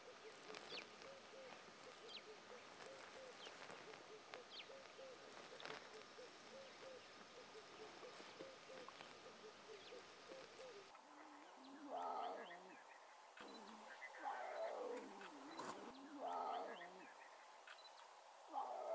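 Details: Three small lion cubs of a pride at Mashatu Game Reserve, Botswana, in August, vocal when hungry. Wavering mewing whines come in bursts through the second half, with faint bird chirps in the background.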